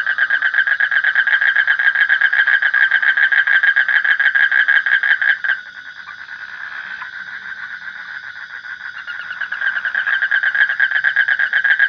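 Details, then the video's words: Rapid, rasping frog croaks pulse steadily at nearly four per second, then fade into a muffled lull for several seconds before the loud, rhythmic calling picks up again. "Suara Kodok / Frog Sound"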